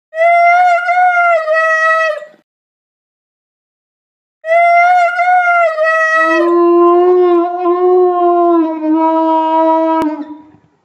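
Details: Pet dog singing to its owner: long, steady, tonal howls with rich harmonics, a first howl of about two seconds, a pause, then a longer howl that drops to a lower pitch and holds, fading out at the end.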